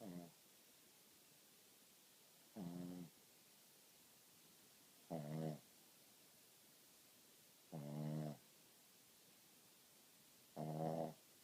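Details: Sleeping pet dog snoring loudly: five rasping, low rumbling snores, one about every two and a half seconds, with quiet breathing-room hiss between.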